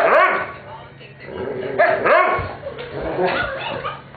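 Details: Pet dogs Weetzie, Junior and Maddy at play, Weetzie pestering Junior into a game while Maddy protests; sharp arched yelping barks in quick bursts, some higher and whiny, with growly scuffling between them.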